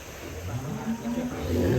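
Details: A big monster-sized cow at an Indonesian cattle yard, said to chase people, gives a low drawn-out moo with stacked harmonics that swells and rises toward the end, amid people chattering nearby.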